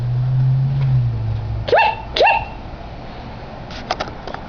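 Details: Dog giving two short, rising, squeaky yips about half a second apart, followed by faint clicking and a low background hum.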